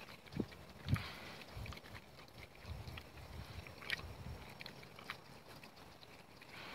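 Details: A big Red Wattle boar hog gives short, low, soft grunts in loose bursts, with a few sharp clicks and rustling nearby.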